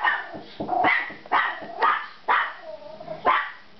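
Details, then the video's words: Dog reacting to a knock on the door at home, barking in a steady run of about five loud, harsh barks roughly once a second, with a person's voice between barks. "Beware of Dog"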